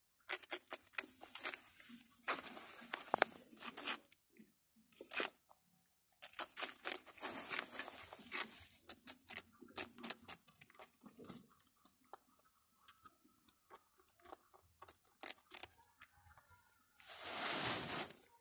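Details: Little rabbits munching food, with quick dry crunches and tearing bites in rapid bursts, the real sound of rabbits eating.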